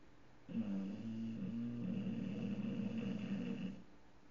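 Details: Tank, an English bulldog, snoring while asleep with his eyes open; one long rasping, rattling snore lasting about three seconds, low and gravelly with a steady buzzing drone, indoors.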